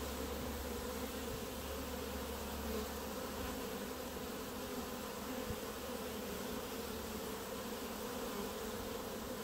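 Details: Clump of honey bees on grass before the hives, an emergency find: continuous droning buzz of many bees, even in loudness, with a faint low rumble underneath.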